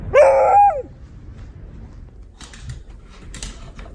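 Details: Beagle named Honey lets out one short rising-falling harmonic yelp lasting under a second, followed by quiet room noise and faint rustling clicks.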